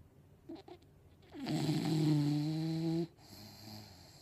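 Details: English Bulldog snoring in its sleep while dreaming; a single loud, steady, droning snore lasting about one and a half seconds, low and buzzy with a nasal tone, then quiet breathing.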